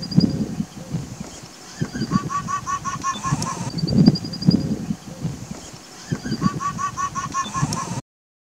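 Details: An Indian (Bengal) fox gives its mating call, bursts of quick, nasal, honking yelps.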